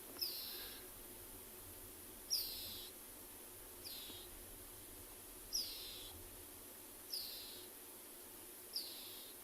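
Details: A dwarf mongoose, just caught by a young male predator, keeps giving high, sharp distress calls every second or two as it is not killed quickly; recorded on a morning safari drive at a private game reserve in South Africa, 3 August 2020.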